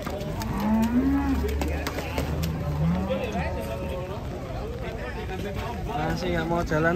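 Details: Cattle arriving by truck in the rain in Indonesia; two drawn-out, slightly rising moos stand out over steady rain noise, voices and music.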